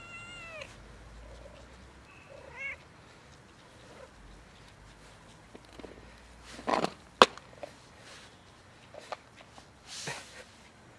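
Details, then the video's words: Hungry domestic cat approaching to ask for a favour utters a brief meow at the start and another short call around two seconds, followed by handling noises, clicks and rustling with no further calls. "Warm beautiful cat came to me for a favor"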